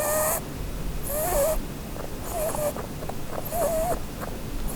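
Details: Female Holland Lop rabbit named Blueberry, asleep and dreaming beneath a Christmas tree, gives wavering whistled snores with rasping breath noise, four in under five seconds, somewhat uneven in timing.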